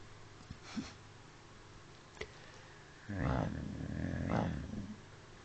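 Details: A pet dog snoring heavily. A couple of faint clicks are followed by two deep, rattling snore breaths about a second apart, low and growly in tone, in a quiet indoor room.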